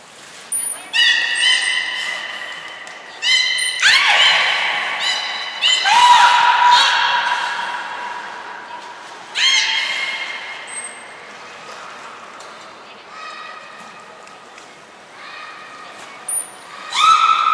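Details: Beluga calls at Port of Nagoya Public Aquarium on 14 March 2021, during pool moves and training with Hodoi, Taanya and Mirai: bursts of squealing, harmonic squawks, some rising, separated by pauses, with thin high trainer whistles in a large hall.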